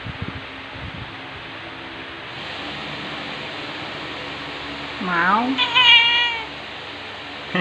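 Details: Mother cat telling her two-year-old daughter to stop licking her, indoors on 2 February 2021, recorded on an OPPO A5s phone: after quiet hiss, one loud drawn-out meow that rises and then falls, with rich harmonics.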